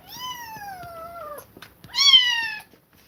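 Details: A kitten forced apart from its mother after she attacked it repeatedly lets out a long, slowly falling meow, then a shorter, louder rising-and-falling cry.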